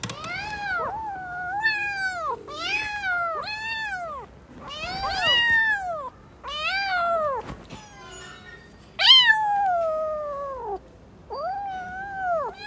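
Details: Newborn kittens playing together call in a busy run of rising-falling meows, roughly a dozen in under thirteen seconds, some overlapping, one sharper squeal near the middle, with short pauses between.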